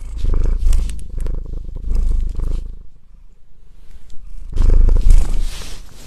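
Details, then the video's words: Cat giving a deep, loud, close-up purr in rumbling breath cycles, a quieter pause in the middle before the strong vibrating purr resumes. "purr purr cat"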